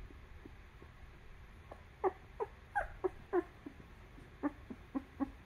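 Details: Two-week-old newborn puppies nursing on their mother's milk and being cleaned by her; a run of short, high whimpering squeaks with clear harmonics, about a dozen cries spaced under half a second apart over a quiet indoor background.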